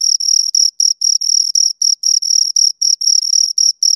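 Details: Close, loud chirping of two crickets: about seventeen short high-pitched bursts in four seconds, each a buzzy pulsed note with a faint higher overtone, spaced by small silent gaps.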